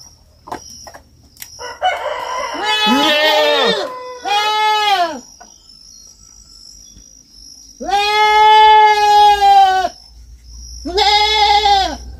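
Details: Farm recording of a young goat calling repeatedly: four loud, nasal, quavering bleats spaced by pauses, with a burst of scratchy noise beside the first cry and a faint low rumble underneath.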